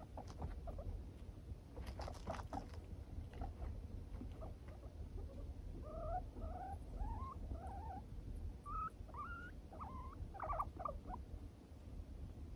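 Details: Moru-chan, a four-year-old pet guinea pig, turns away and refuses to be stroked. After some rustling and scuffing, a run of soft squeaky notes follows, each rising then falling, repeated about once a second and ending in a few brighter chirps.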